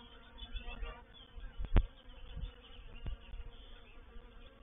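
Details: Honey bee reproductive swarm moving into a bait hive (swarm trap) at Painted Peacock Manor on 04/07/21: a low, steady droning hum with faint overtone bands, broken by a few sharp knocks and thumps.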